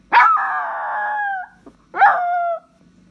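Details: Dog calling its owner, giving two drawn-out tonal howling whines: the first steady and over a second long, the second shorter and falling slightly at its end.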